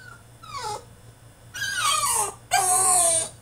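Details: French Bulldog throwing a tantrum inside his cage, three loud whines in quick succession, each sliding downward in pitch, the last two long and strained, with a faint low hum behind.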